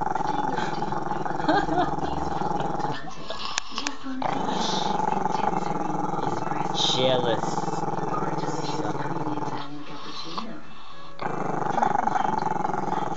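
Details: Chester, a camera-shy Maltese-Shih Tzu pup, growls at the camera in a long, low, rasping rumble that pulses steadily with brief pauses, while television talk runs in the background.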